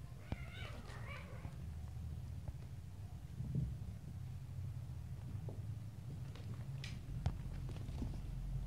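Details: Little stray kittens playing and fighting with each other: one short, high, wavering meow with rich overtones rises and falls in the first second, followed by quiet room tone, soft thumps and scuffling from the play.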